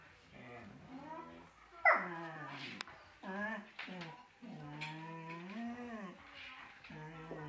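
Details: A female Collie that is raising a Chihuahua and is missing her own puppies whines in long, wavering tones that rise and fall between short pauses.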